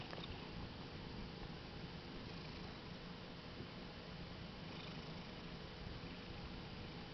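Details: Domestic cat, happy and relaxing on a bed, filmed in 2013, purring strongly: a soft, low, continuous rumbling purr under a steady hiss of room noise.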